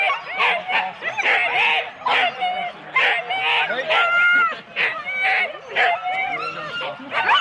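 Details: Four-dog Husky sled teams waiting at the start, Rendlesham, January 2016, taped on analogue cassette: many dogs yelp and bark in loud bursts, with high, wavering whines between them and human voices underneath.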